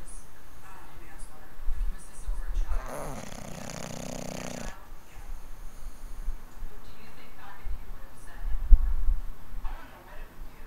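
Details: English bulldog snoring in its sleep: one loud, harsh, rasping snore lasting about two seconds mid-clip, set among quiet low breathing and faint background rustling.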